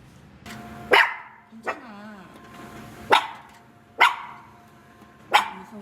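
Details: Maltese–Shih Tzu mix puppy barking while going to work with its owner at a dog-friendly workplace: five short, sharp barks spaced unevenly about one to one and a half seconds apart, with a soft whine between the first two, over a quiet indoor background.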